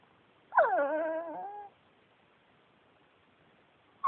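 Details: Yuyu, a male Pekingese adopted from a shelter, talking: one drawn-out, moaning, whine-like vocal lasting about a second, gliding slightly up then down, in a quiet room, followed by silence and the start of another.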